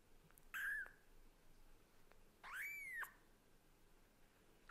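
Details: Young kitten, offspring of a Scottish Fold and a British Shorthair, talking hard to its mother cat indoors; two high, clear mews, a brief falling one then a longer arched cry rising and dropping, over soft room noise.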